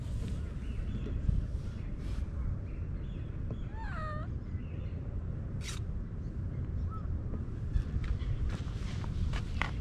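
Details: Stray cat found in a flower bed, purring-content after being petted and climbing onto a lap; a single short, downward-bending meow near the middle over a steady low outdoor rumble with faint footsteps and scattered clicks.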